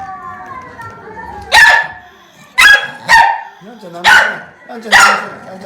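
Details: Akita angrily snapping at a calm housemate Akita: a strained, whining growl runs underneath five harsh, explosive barks spaced unevenly about a second apart, each dropping into a short snarl.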